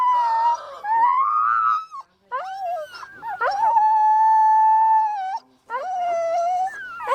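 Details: Puppy howling in drawn-out tonal wails: a rising cry, then a long level note held for about two seconds, and a final falling whine after a brief pause.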